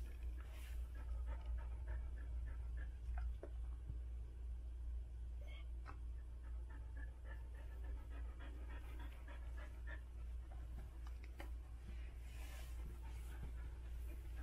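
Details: Gabbana, a Standard Poodle in labor, giving birth to seven puppies, panting hard and fast at roughly two and a half breaths per second. The breaths are uneven, with a steady low hum underneath and a few soft knocks.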